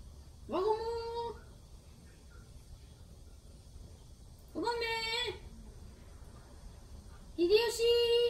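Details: Domestic cat indoors in a small room, in a household with cats named Hinoki, Hideyoshi and Himawari: three drawn-out meows, each rising sharply at the start then holding steady, spaced about three seconds apart over a quiet room background.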